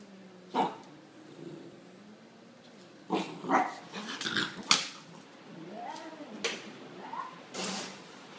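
A Bull Terrier gives sharp, separated barks mixed with low, wavering growling sounds.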